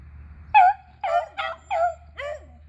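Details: A beagle from a trio of eleven- and three-year-old dogs chasing squirrels, April 21, 2020; five separate bawling yelps, the first loudest, spaced roughly half a second apart.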